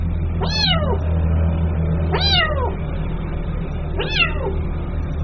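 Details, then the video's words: Three loud, high kitten meows, each sharply rising then sliding down, roughly every one and three-quarter seconds; the young cat is calling its mother against a strong low-pitched hum. "SUARA ANAK KUCING MEMANGGIL INDUKNYA"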